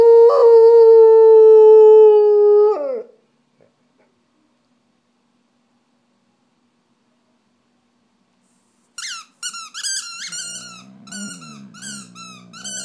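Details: Pet dog Stella sings with her squeaky toy: a sustained, level howl of nearly three seconds, then silence, then a run of sharp, high squeaks from the toy with a low murmur beneath.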